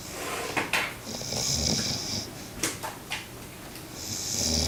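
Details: Goliath, a 4-month-old Great Pyrenees puppy, snores while napping: two long, soft, hissing breaths, one in the first half and one at the end, with small clicks and rustles in a quiet small room.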